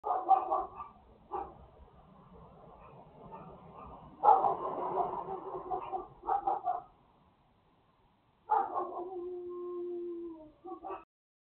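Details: Dog next door barking, a run of rapid harsh barks, then a louder burst and a drawn-out whining howl near the end.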